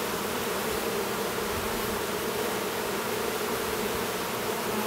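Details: Constant low buzzing of honey bees at a Minnesota apiary near Duluth while a young drone chews at his cell to emerge; an even, unbroken drone with no other clear sounds.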